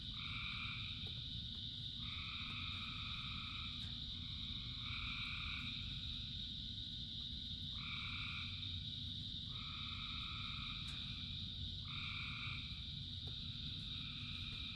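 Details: Many frogs singing in the rain: sustained bright droning backdrop with overlapping one- to two-second two-toned calls following each other almost without pause, set against heavy low rumbling rainfall.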